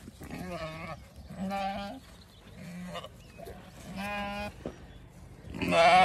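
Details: Zwartbles hoggett flock on an Irish farm in County Kilkenny, crowding around their keeper and her bucket while being moved to a new field; several harmonic bleats of about half a second, one after another, a louder bleat at the end, with soft music behind.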